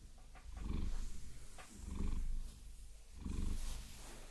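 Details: Pet Maine Coon Vasilisa purring under a long-nail massage, binaural sound; three slow pulses of low, buzzing rumble, each about a second long, with light nail clicks and rustling between them.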